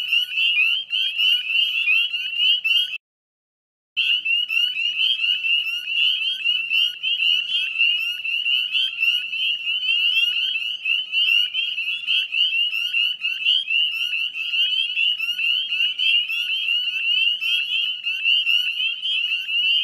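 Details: Wetland chorus of northern spring peepers at dusk, 18 May 2020, West Chezzetcook, Nova Scotia: an intense wall of high, upward-slurred peeps, broken only by a brief total silence near three seconds, then resuming fully.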